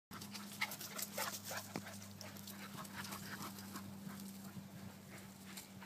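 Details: One Yorkshire Terrier tussling with two Soft-coated Wheaten Terriers in rough play; quick scuffling bursts, panting and light huffs run throughout over a steady low electrical hum.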